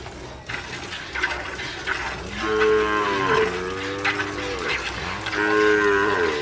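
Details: Milking cows of Gyr and Sardo Negro type in the Salvadoran countryside: two drawn-out, low, throaty moos that sag in pitch toward the end, separated by a short pause, with faint background chatter.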